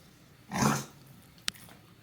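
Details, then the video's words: British Bulldog named Meatloaf snoring indoors: one loud, rough, noisy breath lasting about a third of a second, followed by a faint short click in a quiet room. "British bulldog # Meatloaf is snoring"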